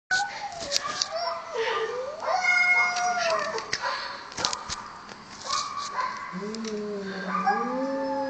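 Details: Two cats that jumped into a gutter making weird noises: drawn-out wavering yowls and moaning howls that rise and fall, overlapping one another, with scraping and clattering in the background.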